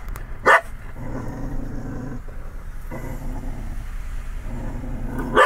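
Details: Pet dog Lacy barking and growling at the Chick-fil-A cow mascot: two sharp barks about five seconds apart, separated by a low continuous rumbling growl over steady background noise.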